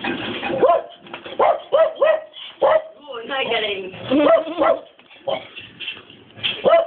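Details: Dobermann barking in a steady string of short, ringing yaps, one every half second or so, overlapping with a person's speech throughout.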